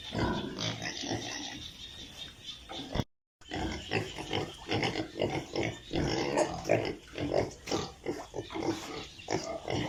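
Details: Piglets at a pig farm in Italy grunting rapidly, about two or three short grunts per second, overlapping calls with a brief silent gap early on.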